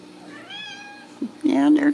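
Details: Ragdoll kitten raised indoors without cages at a home cattery in central Kansas, giving a short harmonic meow after a fainter mew, with a woman speaking softly nearby.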